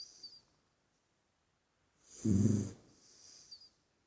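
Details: Single rasping snore from a sleeping puppy, one low rumbling inhale lasting under a second, then a soft breathy exhale fading into quiet.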